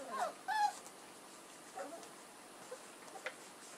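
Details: Puppies from the litter of Edhel and Berry give two short, high, whining squeals in quick succession at the start, followed by softer, fainter whimpers against a quiet indoor background.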